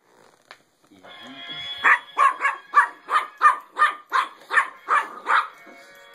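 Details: Puppy freaking out and barking at a singing penguin toy when its button is pushed: a steady run of about eleven sharp, rapid barks, roughly three per second, over the toy's tinny music.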